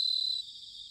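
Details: Autumn bell cricket song recorded in Sanuki, Chiba Prefecture, Japan: a brief clear high ringing trill that fades after half a second into a softer background insect chorus.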